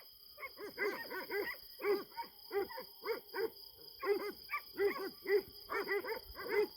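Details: Kangal dogs, including a female, at a farm at night, circling a cornered animal possibly a hedgehog: bursts of two to four hoarse barks separated by short gaps, persistent faint electronic hum.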